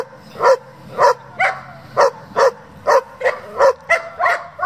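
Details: German Shepherd from a group that breeds and competes with the breed, barking in a steady series of sharp, loud barks spaced roughly a second apart, with a quiet background.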